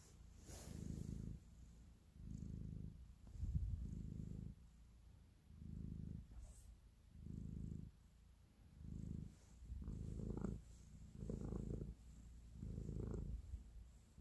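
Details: Domestic cat purring while kneading and showing affection, recorded close up indoors; low rumbling purr in regular bursts of roughly a second, breath in and out, with short gaps between, a faint brief rustle near the start.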